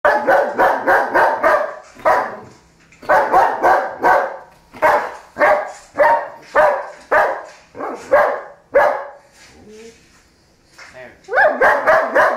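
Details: German Shepherd dog attacking a cereal box, barking in rapid bursts of four to six loud harsh barks separated by short pauses, with a brief quieter whine-like sound before the final burst.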